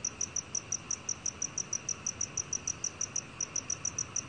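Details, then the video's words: Black cricket, Korea, 2020 National Institute of Biological Resources recording: a steady series of sharp, shrill chirps, roughly three every second, continuing without a break against a quiet background. "검은귀뚜라미, 여러번 듣기, 곤충소리"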